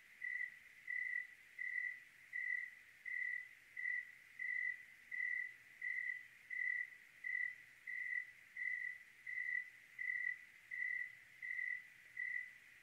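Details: On a clear Oregon night, a cricket gives a long, unbroken run of about eighteen evenly spaced, high, tonal chirps, each lasting around half a second, against faint low background hiss.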